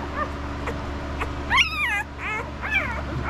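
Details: Estes puppies, five days old, fussing while being handled: high, arched whining squeals with rich harmonics, one brief thin whine then three louder rising-falling cries in quick succession over a steady low hum.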